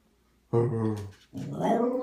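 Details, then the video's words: A female dog, mostly miniature schnauzer, indoors with a lot to say: a deep, throaty groan lasts almost a second, then after a brief pause comes a wavering, rising, whine-like moan, like dog talk. "has a lot to say today!"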